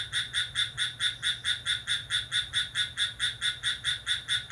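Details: Crickets chirping at midnight on 6 July, calling lively. A steady series of high, buzzy pulses repeats a little more than twice a second in an even rhythm, with no other sounds.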